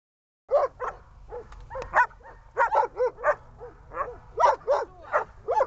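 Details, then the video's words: Dog at the start of training to bark on command, giving a rapid run of short sharp barks and yips, some paired, some whining, in quick irregular succession. "Глемми . облайка . начало обучения"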